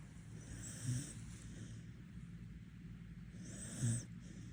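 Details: Border Collie in Korea sleeping with its eyes open and snoring: two soft, low rumbling snores about three seconds apart, each carrying an airy breathy hiss, in a quiet room.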